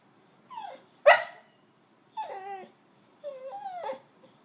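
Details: Boxer dog at a house sit in Mexico, waking its sitters in the morning: a few clear whining, yelping calls sliding down in pitch, one short sharp bark, then longer wavering whines, in a quiet room.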